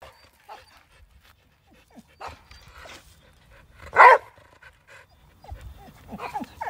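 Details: A Chow Chow greeting a neighbouring horse lets out one loud, short, husky bark midway, surrounded by quiet rustles and faint soft noises.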